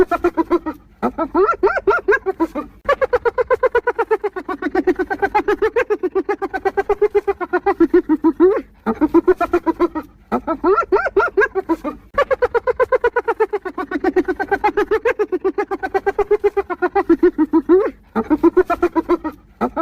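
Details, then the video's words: Laughing spotted hyena, giving continuous chattering bursts of quick, evenly pulsed nasal notes. Occasional higher rising yelps mark the breaks between runs. "1 Hour Of Hyenas Laughing!"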